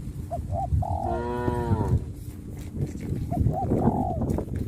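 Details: Herd of tame traditional village cattle, which walk to green grazing fields each morning and return to the pen in the evening, calling to companions: one long, deep, harmonic moo lasting about a second, with short bird chirps before and after.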